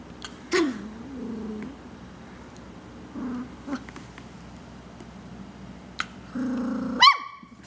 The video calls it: Sheltie Puppy Barks